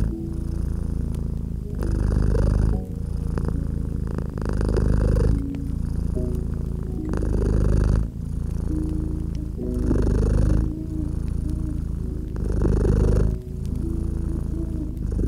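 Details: Domestic cat purring beside a gently crackling fireplace in a cozy winter setting; steady low rumbling purr alternating in long breaths about every one and a half seconds, with soft sustained musical tones and faint crackles over it.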